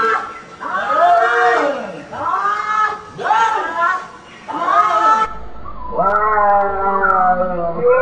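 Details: Cats trading meows in a small room: loud, rising-then-falling harmonic meows in quick succession, followed by a longer, steadier wail after an abrupt cut midway.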